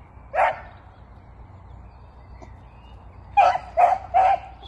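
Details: Bongo, a female pet beagle, barking wildly at new smells on arriving somewhere, early 2023: one sharp bark, then after a gap three quick loud barks in a row, over low background hum.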